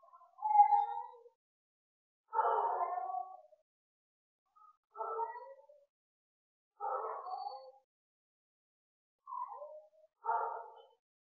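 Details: Bengal cat during breeding, uttering short hoarse yowls, roughly six calls spaced about two seconds apart, with silence between them and no other sounds.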